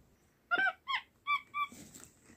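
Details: Capuchin monkey living as a house pet, 'talking' in its communication sounds: four short, clear chirping squeaks in about a second, dropping slightly in pitch, then a soft rustle.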